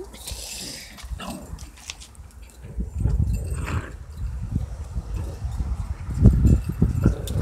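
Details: A small puppy fights with a big dog, producing dense low growling and snarling bursts that grow louder and rougher toward the end, with scuffling noise throughout.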